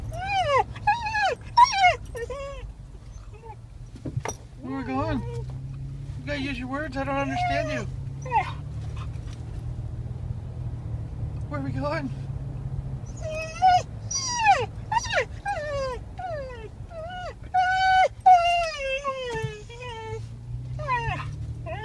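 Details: Dog eager on the ride to the beach spit to meet friends, letting out bursts of high whimpers and yelping whines between stretches of a woman's chatter, over steady low engine hum.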